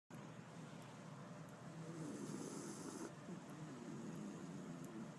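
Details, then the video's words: Female Jack Russell terrier, fast asleep in her owner's arms, snoring: a low, steady, rumbling breathy texture that swells slightly midway, with a faint hiss and a few soft ticks in the background. "Dog Snoring Part II"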